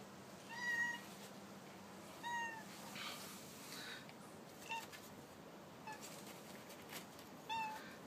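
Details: Pet cat indoors, meowing back while its owner talks to it; four short, clear, high meows spaced over several seconds, with a steady background hum.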